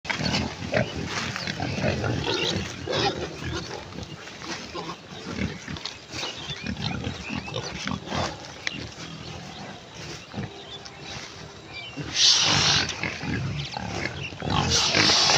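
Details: Wild pig heard outdoors, rough broadband grunts and snorts repeating irregularly, with a burst of harsher noise near the end.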